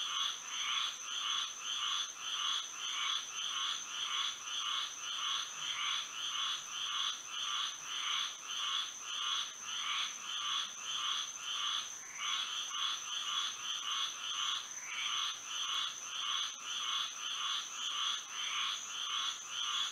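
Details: Moonlit night in Florida with a frog chorus: regular pulsing croaks, close to two each second, layered in several pitch bands, a brief lull near twelve seconds, and a steady high ringing tone behind.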